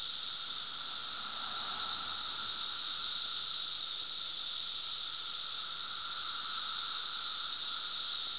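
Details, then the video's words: Cicadas in Glen Ellyn, Illinois, on 10 June 2007, making a lot of noise: a steady, dense, high hissing drone that never breaks, with a fainter lower whine running beneath it throughout. "cicadas making a lotta noise"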